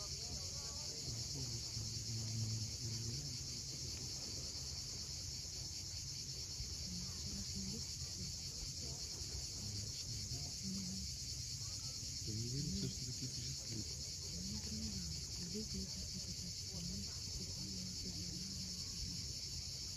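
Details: Sunset on the steep Crimean coast at Cape Fiolent, where cicadas keep up a constant shrill hiss above the deep wash of surf. Short warbling bird phrases rise and fall in the background.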